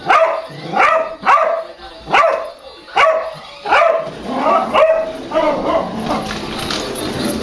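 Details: Bode the dog barking at a goofy remote-controlled car called the Turbo Twister, acting ferocious toward it; sharp harmonic barks about every 0.7 seconds, the later ones blurring into a noisier, busier background.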